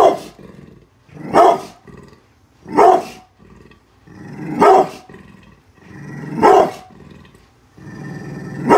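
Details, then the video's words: Guarding the home from construction workers outside, brindle pit bull Bullet gives five loud barks spaced about one and a half seconds apart, with soft growling rumbles filling the gaps. "brindle pitbull protection dogg !!! scary growling and barking"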